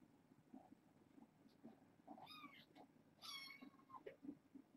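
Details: Foster kittens at bedtime, from a litter of six born August 29th to a family pet: two high, harmonic meows close together midway, over soft rustling and faint clicks indoors.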